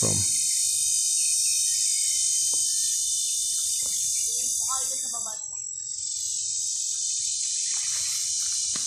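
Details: Cicada, locally called kundidit, singing a loud continuous high buzz with dense harmonic bands, briefly dipping and shifting pitch midway, with faint voices and soft knocks underneath.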